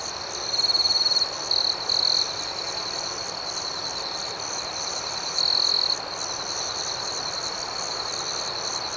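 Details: Crickets chirping at night in a calm nocturnal setting: a steady high, shimmering trill runs throughout, with brighter sustained buzzing bursts near the start and again around five seconds, above a soft hiss.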